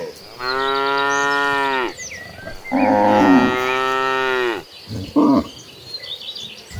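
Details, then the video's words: Tame cattle, part of a herd of hundreds being driven toward a green pasture: two long, drawn-out harmonic moos, steady then dropping at the end, followed by a short higher bellow, with faint bird chirps above. "Herding Hundreds of Gentle Cows Mooing Toward the Green Pasture, the Sound of Tame Cattle Mooing."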